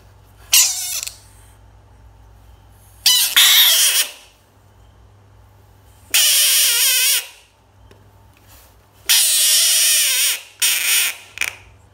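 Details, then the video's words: Pet American bullfrog screaming: five loud, harsh, wavering bursts of about half a second to one and a half seconds each, spaced by quiet gaps, with a faint low hum underneath. "Funny bullfrog sounds screaming frog"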